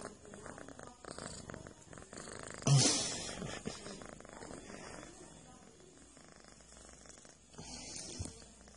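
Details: Pet cat kneading and massaging its friend, purring in a close, low, continuous rumble with even pulsing, a brief louder rustle near the three-second mark and quieter shuffling toward the end.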